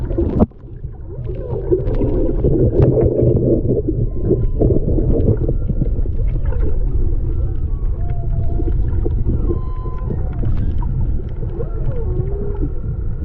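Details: Whale song heard underwater while snorkeling off Maui, Hawaii, in February 2020 on a GoPro microphone: faint drawn-out tonal moans and short upsweeps sit behind loud, steady low-pitched water rumble.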